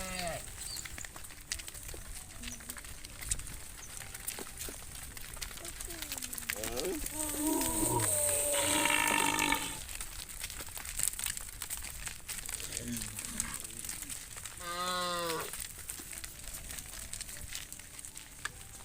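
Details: Tame cattle being herded back to the farm pen at sunset, a few drawn-out harmonic moos rising and falling in the middle and again near the end, with voices talking and outdoor rustling throughout.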